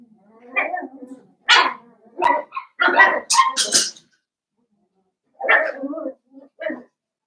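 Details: Blenheim Cavalier King Charles Spaniel puppies, a litter of five born at New Year's, in an indoor puppy pen: a run of short, harmonic yelping barks in quick irregular bursts, a pause, then three more yips, with faint human voices.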